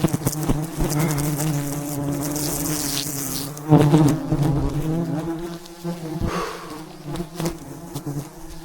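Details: Wild bees surround a giant mountain hive being harvested for honey. Their dense, continuous buzzing hum swells and fades, with a brief hissing rush early on and scattered clicks and thumps from the harvest work.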